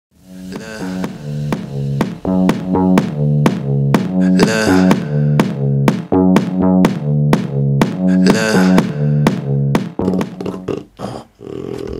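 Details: Electronic music with a repeating drum-machine beat and low synthesized tones throughout, with no animal sound present.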